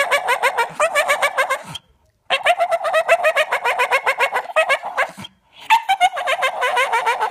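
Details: Staffordshire Bull Terrier; whining yelps; wanting to play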